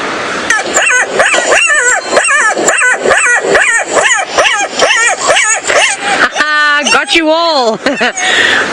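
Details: Two black-backed jackals (Lupulella mesomelas) give their howl-scream at sunrise around 6 AM on 17 September 2017 at Djuma, Sabi Sand, South Africa: rapid, wavering yelps rising and falling about twice a second, ending in a long quavering scream.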